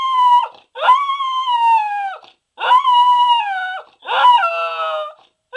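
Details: One Pembroke Welsh Corgi gives a run of howls, four sustained notes about a second long each. Every note starts with a short rise, holds level and sags slightly at the end, separated by brief pauses in a quiet room.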